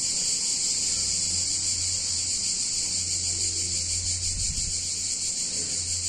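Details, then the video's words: Hot summer day in a picturesque Italian town, where many cicadas keep up a constant high-pitched electric buzz, a low humming drone running below and a short knock near the end. "Cicadas In Warm Summer Day In Italian Town"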